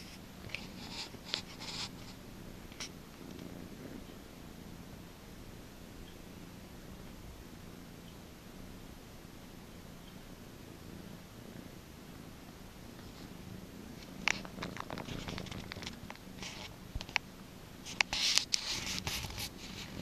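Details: Cat being massaged at the cattery no Demetra, giving a soft, continuous low purr under quiet room tone, with brief crackling rubs of fur and handling sounds near the start and toward the end.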